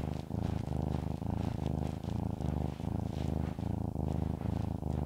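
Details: Pet cat Shamotra, who loves being stroked, purring loudly and close: a deep rumble in regular pulses about every second and a half as she breathes in and out, with soft rustles above.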